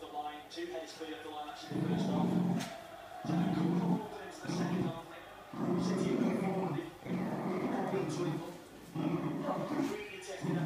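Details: Sealyham Terrier named Pinot growling in low, drawn-out bursts of about a second each, separated by short pauses, repeated roughly every one and a half seconds, with a man talking over it indoors.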